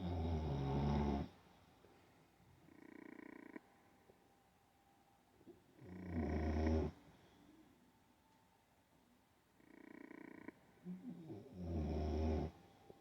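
An Olde English Bulldogge snores in its sleep with deep, rattling breaths about every six seconds.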